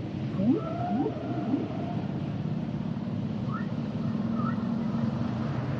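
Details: Humpback whale song, fainter here: a few quick rising whoops and a thin held tone in the first two seconds, then brief high chirps later, mostly masked by a dense, steady low rumble.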